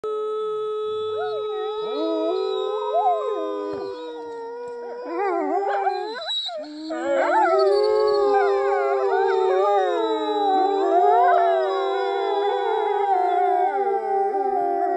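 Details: A pack of European gray wolves (Canis lupus) in Norway howl together in long, sliding, overlapping tones that rise and waver into a chorus, a woman howling alongside them.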